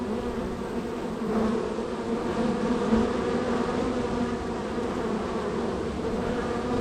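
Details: Honey bees at an extremely active hive, number three of a row, flying in and out; unbroken buzzy drone with a few brief louder passes of single bees near the entrance.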